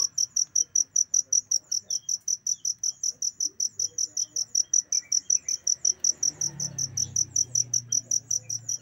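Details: Cricket serving as a training sound for songbirds, its shrill pulsed chirps repeating rapidly and evenly, about five a second, over a quiet background with a low rumble near the end.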